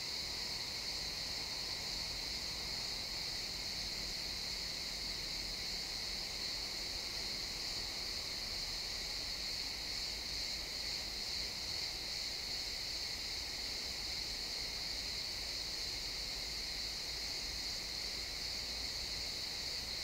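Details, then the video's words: Sunset in a pine forest, crickets chirping in XY stereo: a constant high, ringing trill holds for the whole stretch, gently swelling midway, with a faint low hum early on. "Cricket sounds in the pine forest"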